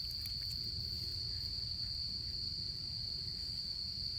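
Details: A continuous piercing insect trill fills an autumn night by a campfire during camping season, with a few light ticks and a soft low background hum.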